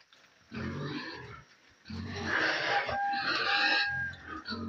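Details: Little pigs eating in their pen, a steady run of deep grunts and oinks with short breaks, plus one thin squeal near the middle.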